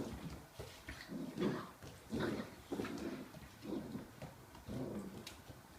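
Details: Six-week-old Pharaoh Hound puppies from a litter born August 23, 2016, playing indoors with the adult 'auntie' Nephie. Soft, low growly whines and yips come in short bursts about once a second, quiet overall with faint scuffling between.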